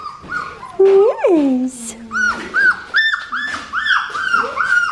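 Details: Red merle female Australian Shepherd puppy, 4.5 weeks old, daughter of Raven and Jackson, indoors at an Oklahoma breeding farm; a woman's voice talks first, then about six short, arched, high whines repeat in a quick series.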